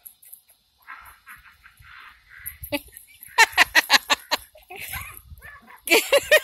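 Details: Two Jack Russell Terriers at lively play at home, one giving a quick run of about eight sharp, high yips in a row, then another short burst, while a person talks in the background.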